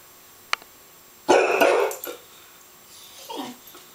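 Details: Female pet dog barking at a neighbour and his bulldog, liking the bulldog but not the man: a sharp click, then a loud harsh double bark lasting under a second, and a fainter, lower single bark after a pause.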